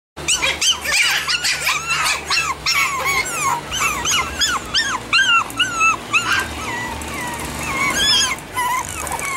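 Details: Chihuahua puppies offered for sale in Pennsylvania, yelping in quick overlapping bursts of high, arched whines that rise and fall sharply, several voices crowding together almost without pause, with a low steady hum underneath.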